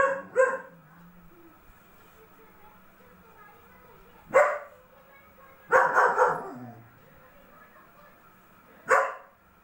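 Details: Double-coated German Shepherd dog giving short, harsh barks: a quick pair at the start, then single or clustered barks around four, six and nine seconds, separated by quiet pauses.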